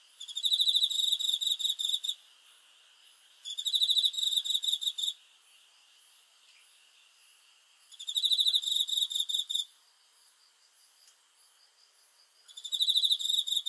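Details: Cricket calling at night for sleep relaxation: bursts of rapid high-pitched pulsed chirps lasting about two seconds, repeated roughly every four seconds with quiet pauses between, fainter insect hum underneath.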